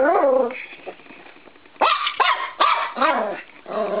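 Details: Norfolk Terrier puppy, 13 weeks old, attacking a spring door stop in a bedroom, starts with a whiny growl. After a quiet stretch comes a burst of four rapid barks and a trailing throaty growl.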